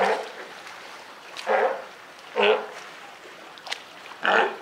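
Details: California sea lion mother with her newborn pup at Higashiyama Zoo, Japan, recorded 28 June 2023: one rough bark opening, then three spaced, throaty barks about a second apart.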